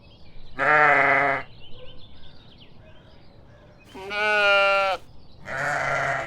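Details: Sheep bleating three times, each a rich, nasal 'baa' lasting about a second. The calls are separated by short pauses, with faint chirping in the quiet gaps.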